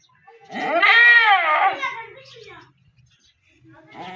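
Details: Goat calling during a birth as a kid is delivered: one loud, wavering, nasal bleat of about a second that rises and falls, followed by quieter murmurs and a faint call at the end.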